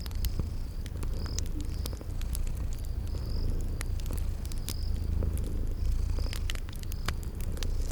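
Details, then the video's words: Cute kitties purring while asleep by a crackling fire, spring garden atmosphere: low continuous purr with gentle breath-paced surges, frequent snapping crackle pops, and thin high chirping tones recurring in the background. "Cute Sleeping Purring Kitties"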